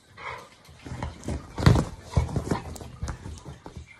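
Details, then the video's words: A Labrador Retriever and an English show Cocker Spaniel play fighting together on a sofa at home in the morning; low grunting growls and snorts come in irregular bursts, mixed with rustling and soft thumps from the wrestling. "Morning Play Fight - Crazy dogs LABRADOR & COCKER SPANIEL"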